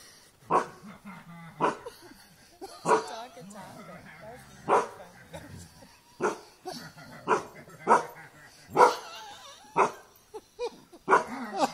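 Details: A dog fighting a buffalo gives loud, sharp barks, roughly one every second, with a person's voice talking between them.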